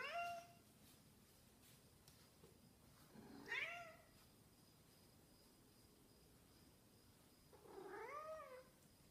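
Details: Snowshoe cat that misses its owner meows three times with long quiet pauses between: a clipped cry at the start, a rising-falling meow mid-way, and a softer, longer one near the end.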